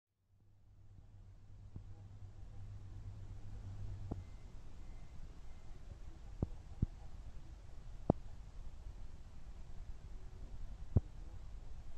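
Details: Quiet indoor room tone with a low hum and a few scattered soft clicks; no animal sound.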